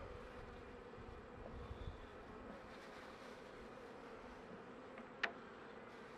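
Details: Honey bees humming steadily inside an opened brood box as a beekeeper works the frames in late winter; even, low buzzing drone with one sharp knock near the end.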